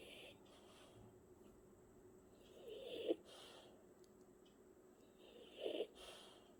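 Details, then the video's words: Martin, a sleeping French Bulldog, snoring: two short, wheezy snorts a few seconds apart, each rising to a raspy peak, over a steady quiet hiss. "강아지 코골이"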